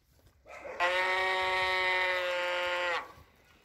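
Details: Cow calling once: a single steady, flat, strongly harmonic moo held for about two seconds, starting abruptly and ending cleanly, with quiet background before and after.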